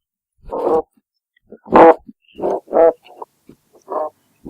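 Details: A looped recording of an oyster toadfish (Opsanus tau) giving short, hoarse, humming grunts, repeated roughly once a second.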